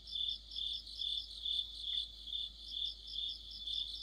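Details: Streetlight-side autumn chorus of crickets and fellow insects, a piercing high trill rising and falling in regular pulses about twice each second, dense with overlapping singers.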